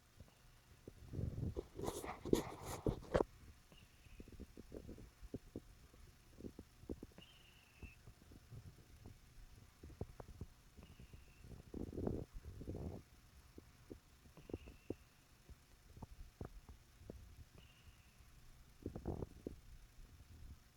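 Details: A sleeping pet cat named Gibbles snores while lying beside a person indoors. Low, raspy breathing bursts come at irregular intervals, several seconds apart, with one louder, harsher snort near the start and faint high tones in the background.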